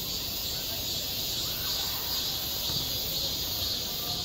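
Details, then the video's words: Summer cicada song over a school playground. A softer, high-pitched buzz pulses steadily in a hissing band, with a low rumble of background noise underneath. "한 여름 운동장에서 매미가 울고 있다 - 여름의 소리, 학교 종소리, 매미 울음소리"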